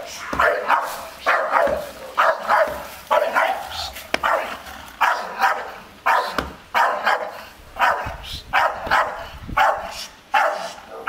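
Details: Staffordshire Bull Terrier, a breed that barks little except when sensing danger, defends its garden area against an unmasked stranger nearby. It gives a long run of harsh, repeated barks, roughly two per second in bursts, steady throughout.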